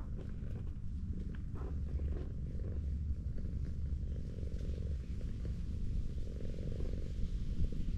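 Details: Purring of a clingy tortoiseshell cat found lying on a hillside road and being stroked: deep, even, pulsing rumble sustained for the whole stretch.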